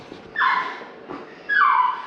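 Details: A male Shiba Inu, 4 years 3 months old, gives two shrill, wavering screams during his annual vaccinations (combination vaccine and kennel cough injection) at a Rotterdam vet on 22 November 2023. The screams drop in pitch and trail off, with a quiet room between them.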